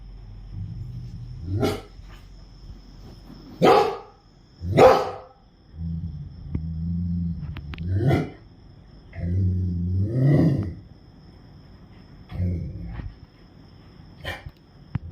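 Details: At night a Rottweiler barks deeply and forcefully at the sound of crickets, in single or paired bursts every one to three seconds, with low throaty growls between. The faint steady high buzz underneath is the crickets.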